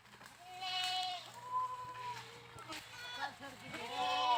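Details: Drawn-out, fairly steady goat bleats follow one another closely, ending in a louder wavering cry, over a constant low electrical hum.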